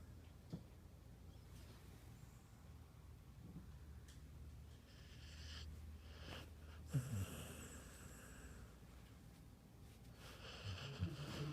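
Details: Snoring from Bandit, a pet dog: a low drawn-out rumbling breath, then hissing snorts near five, seven and ten and a half seconds, separated by quieter pauses with a faint steady background tone.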